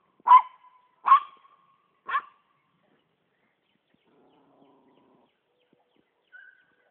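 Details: Poodle barking while treeing a squirrel: three sharp, loud barks spaced about a second apart, each with a brief trailing tone, then near silence and a faint short high note at the end.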